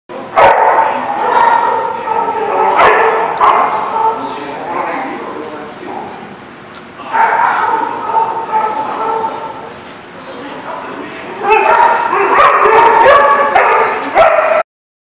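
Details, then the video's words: Dogs barking at a lot on 1 March 2019, sustained bouts of overlapping barks and yips with short gaps, several animals calling together, fading briefly mid-recording before rising again. "The Barking Lot"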